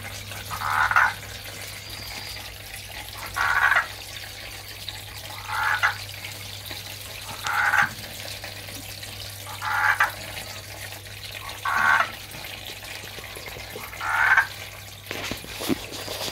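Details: A male Andean marsupial tree frog (Gastrotheca riobambae), an Ecuadorian Andes species, calls for a female with brief, mid-pitched, knocking notes about half a second long, repeating about every two seconds over a faint low hum.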